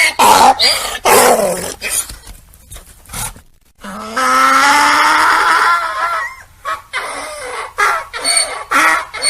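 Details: Donkey (Equus asinus), bray.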